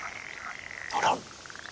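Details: A male northern pool frog (Pelophylax lessonae) at a reintroduction site in Norfolk, England, gives one brief, rasping, quacking croak to attract females, against a faint steady high hum; sunny early morning, breeding season May–June.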